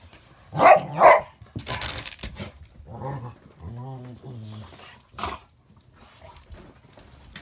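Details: Two dogs, a Border collie cross and a Rottweiler, playing together indoors: two loud, sharp barks close together near the start, then softer voiced growling grumbles, with a person's voice and room noise.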